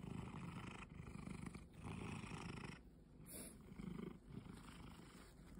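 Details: A cat, described as having forgotten its wild nature, purrs in a steady low rumble. The rumble comes in long breath-length bursts separated by short quieter gaps, with faint hiss above.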